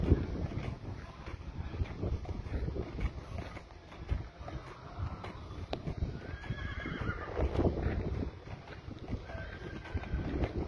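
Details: Clydesdale horse giving a quavering, wavering whinny that falls in pitch, heard mainly between six and eight seconds, over steady hoof clip-clop and a low rumbling background.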